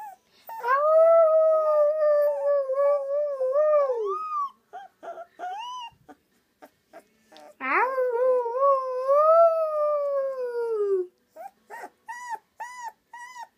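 A Rottweiler puppy howls in two long, wavering notes, then gives short yips.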